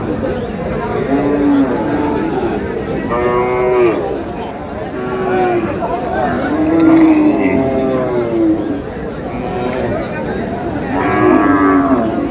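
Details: Female beef cows for sale at Aftabganj cattle market on 22 April. Drawn-out lowing moos rise above a steady hubbub of bargaining voices, with a couple of clear calls and fainter ones from other cattle around them.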